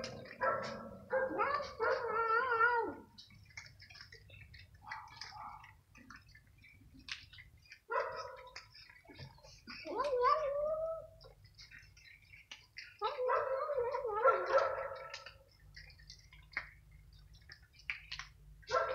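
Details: Stray cats fighting over food croquettes in the evening, a hungry kitten attacked by an older cat; drawn-out wavering yowls and growls come in several bursts separated by short quiet pauses.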